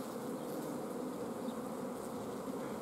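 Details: Steady, even droning of a honey bee colony with its queen held back from laying because forage and food are scarce, recorded at an apiary in mid-June 2016.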